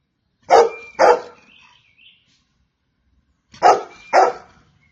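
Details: Golden Retriever giving two quick double barks separated by a three-second pause, each pair sharp and resonant with a thin trailing whine after the first.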